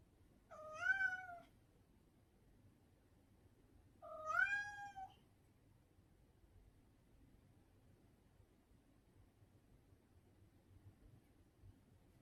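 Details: Cat producing two drawn-out, slightly wavering meows about three seconds apart, each close to a second long, with near silence between and after them.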